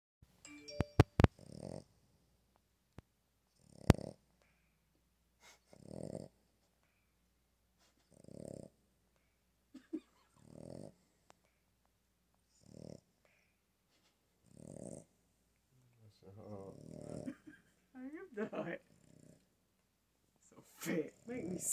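A Boston Terrier gives low, drawn-out, moo-like groans repeated about every two seconds.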